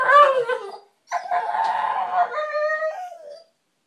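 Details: Pet American Bulldog, male, whining to get attention; a brief nasal whine followed by a longer, uneven, wavering whine that rises and falls in pitch before trailing off into silence.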